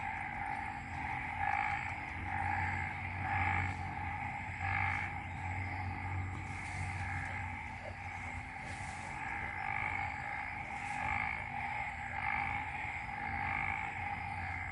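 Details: A dense frog chorus in waterlogged rice paddies after a night of rain in Ubon Ratchathani, Thailand, droning with bright pulsed notes swelling and fading every second or two, over low rumbling background noise; the frogs fall quiet at times and resume.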